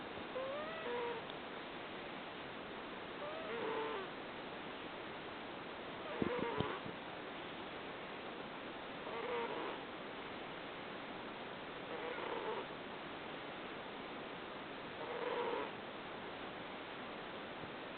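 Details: Cream, a rescued cat from Neko-sama Oukoku in Fukui, snoring in its sleep with soft puffing, slightly whistly breaths roughly every three seconds, partly buried under a steady hiss of background noise.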